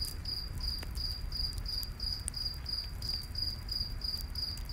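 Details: High, clipped cricket chirps in a night forest repeat evenly a few times each second, while campfire snaps break in now and then over a soft low-frequency hum.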